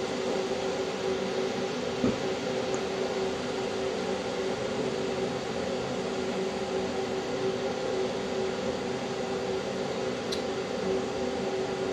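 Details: Constant indoor mechanical hum like a fan or air conditioner, with a single faint click; no cat voices are heard.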